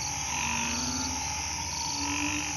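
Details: Frogs sheltering in the grass call after night rain in a hospital garden, soft level droning notes from several animals overlapping, fainter than the surrounding dense high-pitched hum.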